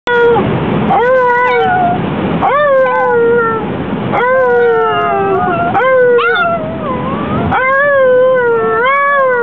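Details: Chihuahua singing on the way to a chihuahua race: long, wavering, tonal howls with rich overtones, rising then sliding down, about six drawn-out phrases with short breaks between them.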